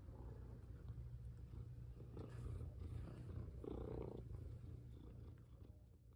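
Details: Pet cat indoors, one of two cats named Seokga and Moni, during play as collars are put on and a hand rests on its paw; a steady low rumbling purr runs throughout, with a brief louder broader murmur midway over faint room noise.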